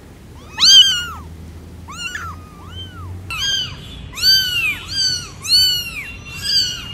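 A domestic cat gives a run of short, arched meows, several in quick succession.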